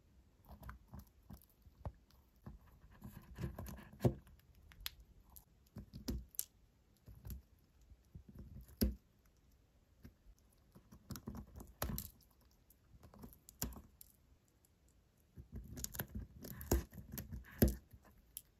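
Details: A cute white hamster crunches a tartlet with carrot and beet indoors, giving bursts of dry, crackling chewing with short quiet pauses between bites in a small quiet room.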